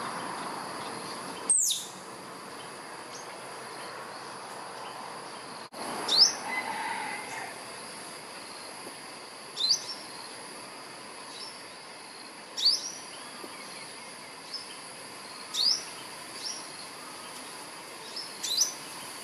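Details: Albino squirrel calling for a mate from a ta-khop (Jamaica cherry) tree: a single sharp, high, downward-sweeping chirp repeats about every three seconds, six in all, over a steady faint background hiss.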